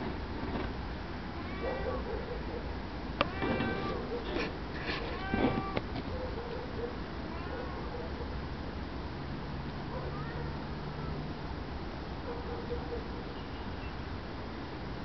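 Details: Cape genet (Genetta tigris) calling in a burst of several short, wavering, cat-like mews with bright overtones. Soft clicks and knocks come between them, then quieter mews trail off over a low background hiss.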